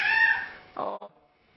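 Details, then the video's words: Ten-month-old male kitten calling at feeding time: one clear, fairly high meow lasting under half a second and fading, followed by a brief spoken word from a woman nearby. "Meowing & Me-Yawning Kitten"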